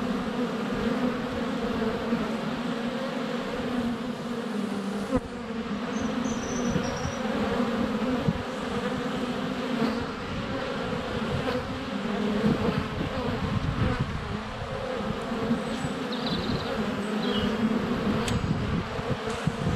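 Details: Swarm of honey bees at the hive entrance in February sunshine, GoPro Hero 7 Black close up; continuous droning buzz with a few faint high bird chirps and small clicks of bees landing on the camera.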